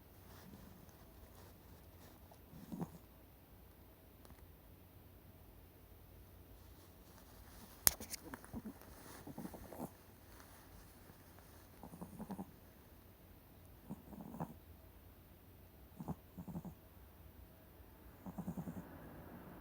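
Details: Slightly overweight Chihuahua-Maltese mix dog asleep, known for snoring like an old man: small, soft snorting snores recur every two seconds or so in a quiet room, with one sharp click partway through.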